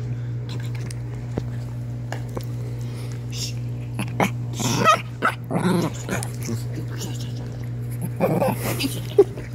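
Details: Chihuahua producing odd noises: bursts of snorting and snuffling in the middle and again near the end, with faint whimpers, all over a constant low mains hum.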